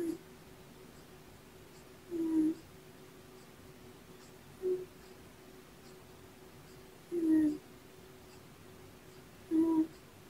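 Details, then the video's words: Puck, a black male kitten born November 22, snoring while asleep beside his tabby sister Sequins indoors; soft, low, short snores at regular intervals of about two and a half seconds over a quiet room hiss. "Olympian Kittens - You're Snoring"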